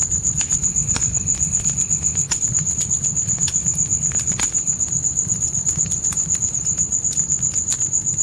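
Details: Nighttime crickets giving a constant bright pulsing trill near a crackling campfire, the chirps evenly spaced around four a second, with sharp wood pops and a low steady fire rumble.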